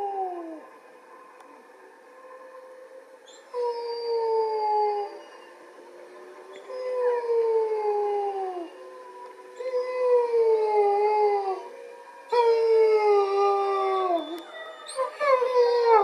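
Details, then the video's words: Wolves in captivity, September 20, 2020: Motomo howls in protest as his mate Mai is led away for a walk, the other wolves joining in. Long falling howls overlap in staggered, layered waves. "Motomo calls wolves to chorus"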